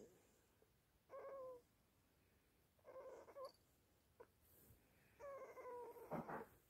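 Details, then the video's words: Teething Chihuahua pup Toby, shattered after a night awake, whining in drawn-out tonal cries with a falling tail, three main whimpers over about seven seconds plus a small click and rustle. "Teething chihuahua puppy"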